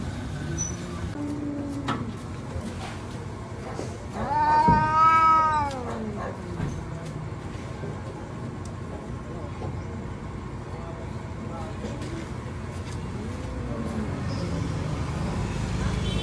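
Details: Fighting street cats give one long, strongly harmonic yowl that rises and falls around five seconds, then softer drawn-out moans later, with vehicle hum in the background.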